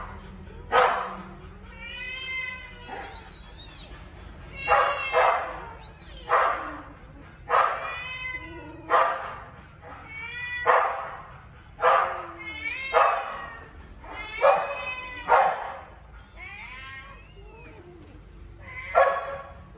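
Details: Two baby kittens fighting over food cry out in a rapid run of loud, wavering meows and squalls, about a dozen strained calls over twenty seconds, each bending up and down in pitch.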